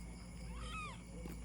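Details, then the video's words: A two-year-old Persian cat giving birth for the third time: one soft, arching meow lasting about half a second, rising then falling, heard faintly over a steady low electrical hum. "Pang 3rd time na panganganak ng 2 year old Persian Cat ko."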